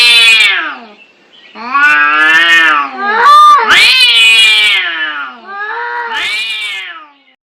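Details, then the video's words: Domestic cats in an angry fight trade drawn-out caterwauls, several long wavering yowls with falling ends, one harsh rising squall in the middle, separated by brief silences. "Suara kucing berantem"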